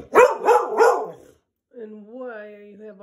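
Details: A Staffordshire bull terrier, vocal at night and wanting her owner's attention, gives three quick barks, then a drawn-out, wavering whine.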